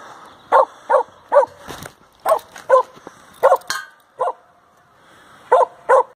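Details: Samoyed named Sam on a halfpipe in a skateboard park in Nairn, Scotland, barking repeatedly: about ten short, punchy barks in loose pairs and runs, with brief pauses and light background noise between them.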